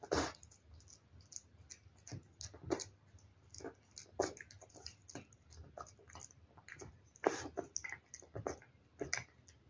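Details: Wet food being eaten by a cat: a steady run of sharp, crisp chewing clicks and lip smacks, with louder clusters at the start and again after seven seconds, heard in a quiet indoor setting.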